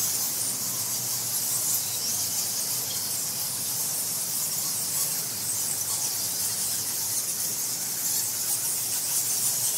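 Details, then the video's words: Bats roosting inside a temple in Bali, Indonesia, recorded close up in March 2018 on a field recorder with nobody around: a dense, continuous wash of high, hissing squeaks with no other sounds. "Bali Temple Bats Ambience"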